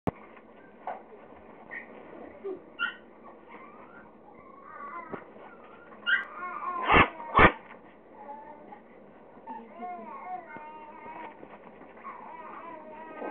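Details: Four Pekingese-Chihuahua mix puppies chase each other and play indoors, giving high whimpering whines and squeaky yips, then two sharp loud barks in quick succession midway, followed by more soft whines and a faint steady background hum.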